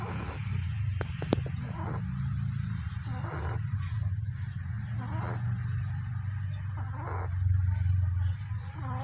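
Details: Puppy asleep, snoring in a continuous low rumble, the breathing swelling slightly near the end, with a couple of brief light clicks early on.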